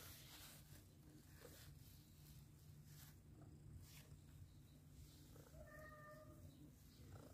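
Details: Domestic cat household with a mother cat that has accepted adopted kittens; after quiet rustling, one short, clear, tonal meow sounds near the end over a steady low rumble.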